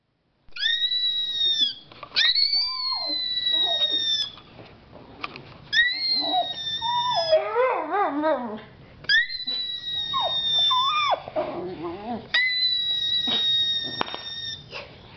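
A dachshund gives wavering, yelping howls in answer to a steady, piercing high whistle-like tone.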